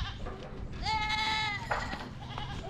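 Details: A goat cries pitifully in a beach village in Moalboal, Cebu, Philippines, recorded with a GoPro 9: one drawn-out, quavering, nasal bleat lasting about a second, set against steady low background rumble.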